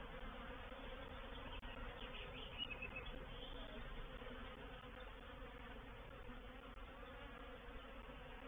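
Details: A reproductive honey bee swarm moving into a bait hive at Painted Peacock Manor, 04/07/21: many bees droning in a thick, level buzz with faint rising whines of single passing bees, and one soft tap early on.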